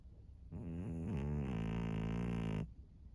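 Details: Maria, a 13-year-old senior female fawn pug in Japan, gives one low, droning snore lasting about two seconds, rough and buzzy with a brief wavering pitch dip near the start, in a quiet room.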